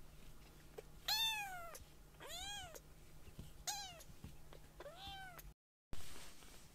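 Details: Two very young rescued foster kittens chat to each other while walking around a room after a nap; one gives four high, arching meows, each rising then falling, about a second apart. Their meows still sound babyish, "eo eo" rather than "nyaa".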